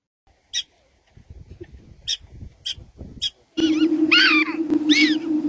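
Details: A black-tailed prairie dog gives sharp, high, chirp-like barks, like a tiny dog such as a chihuahua yapping.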